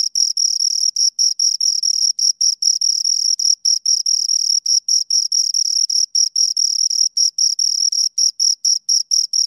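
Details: Close recording of two crickets giving rapid, even chirps, a piercing high note chopped into quick pulses with short pauses, no background noise.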